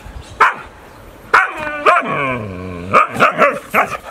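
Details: Sulking dog talking back: short barks, then a long whining moan that slides slowly downward, followed by a quick cluster of yappy grumbling barks.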